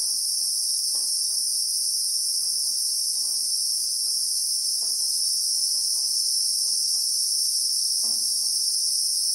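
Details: Christmas beetle (Anoplognathus) in South African bushveld with acacia trees, recorded in real time: a steady, unbroken high-pitched shrill drone in two bright bands, with soft faint ticks and taps scattered underneath.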